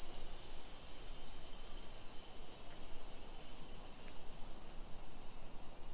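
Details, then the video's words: Japanese summer cicadas at 1 PM, 28 July 2021, in suburban Nisshin, Aichi Prefecture, keep up an even, piercing sizzle that fades a little toward the end, with a couple of faint ticks. "Summer Cicadas Sounds"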